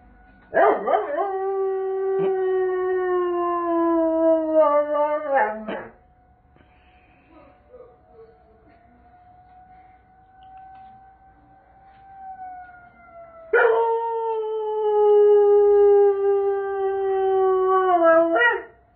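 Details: Doberman howling along with the first-Saturday-of-the-month tornado siren: two sustained, gently falling howls of about five seconds each, ending in wavering breaks, with the siren's faint steady rising and falling tone audible between them.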